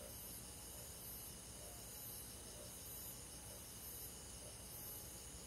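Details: Crickets on a summer night in a rural forest, producing a steady, high, shrill trill with soft pulses about once a second over a low, constant background hiss.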